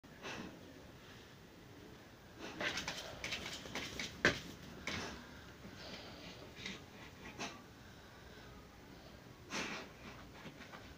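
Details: Saint Bernard dog in a small indoor room, breathing and snorting: soft breathy huffs swell into louder broadband snorts around two to five seconds in and again near nine and a half seconds, over a quiet room background.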